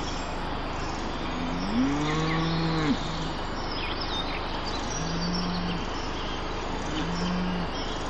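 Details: Cows in a Dutch meadow filmed by a drone: a single moo lasting about a second and a half, swelling then dropping abruptly, followed by pulsing motor hum and faint distant chirps.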